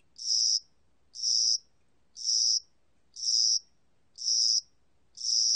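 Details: A spring-summer cricket, recorded in 2020, chirps in a high, raspy buzz, each burst lasting about half a second, at a steady beat of roughly one per second with quiet in between.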